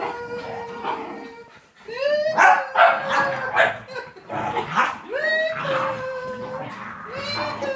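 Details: A female Miniature Schnauzer, jealous of a visiting beagle-boxer mix, gives plaintive, whining howls that slide upward and then hold a steady, nasal tone, broken by short yips and whimpers.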